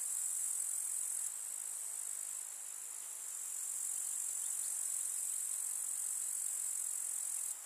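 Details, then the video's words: A village meadow in summer, alive with grasshoppers: a piercing, steady high-pitched insect drone that eases briefly, returns to full strength and cuts down again at the very end. "КУЗНЕЧИКИ. Слушать звуки летнего луга"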